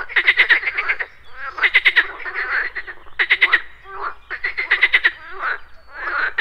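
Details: Frogs at a pond in the morning croak in rattling, pulsed bursts that come roughly every second or so, with insects buzzing.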